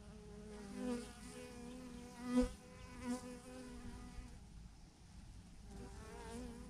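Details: Thousands of bees clustered in a massive clump on a branch; a close, rich droning buzz swells and fades as bees fly near, peaking loudly around the middle and returning near the end, over soft background hiss.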